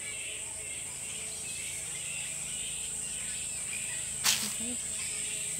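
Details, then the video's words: Crowd of roughly a thousand bats roosting in a tropical park on Queensland's Sunshine Coast, Australia, giving overlapping shrill squeaks and chatter, beneath a constant high-pitched whine, with one sharp click near the end. "Kolonia Nietoperzy Na Sunshine Coast W Queensland"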